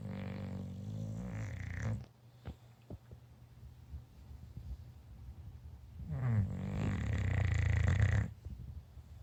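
An English Bulldog snores in loud, rattling, low-pitched bursts with quieter breathing between them.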